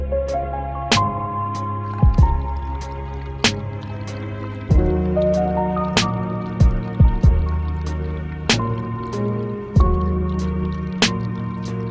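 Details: Calm background music with soft plucked notes and dripping, squishy accents plays throughout, and no animal is heard.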